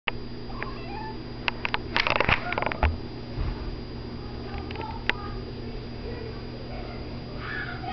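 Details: Domestic cat indoors giving several short, faint, tonal meows of mid pitch, with a burst of sharp clicks and rustles near the middle and a steady low hum throughout.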